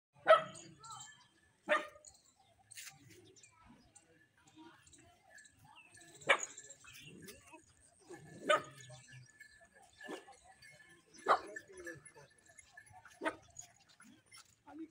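A Labrador-shepherd mix puppy gives sharp, high barks at uneven intervals, with some human speech in the background.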